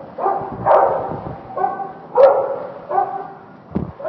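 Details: Dogs on a typical Saturday at an indoor climate-controlled dog park with a pool; a dog gives loud, hoarse barks roughly every three-quarters of a second, with a sharper yip near the end in an echoing room.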